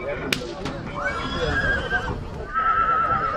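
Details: Horses in Rădăuți, Suceava, Romania: a tremulous, quavering whinny, a high sustained tone sliding slightly downward, then a second wavering neigh. Sharp knocks at the start and people talking in the background.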